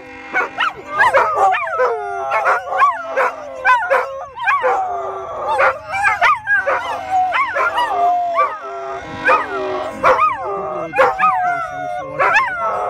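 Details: Three poodles named Rolo, Coco and Kay howling together in reaction to a train whistle; overlapping wavering, high yelping howls that rise and fall, many short rising-falling notes packed densely throughout, forming a chorus of dog voices.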